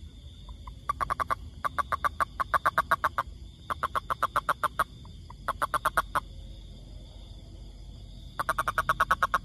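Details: A toad living in the forest gives bursts of rapid, evenly pulsed trills, each lasting one to two seconds.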